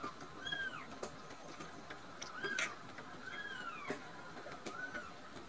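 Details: Full of milk and nodding off, rescued kittens Nan-chan and Cookie-chan give a series of thin, curving mews, four spaced across the clip, some overlapping with sharp taps and rustles indoors.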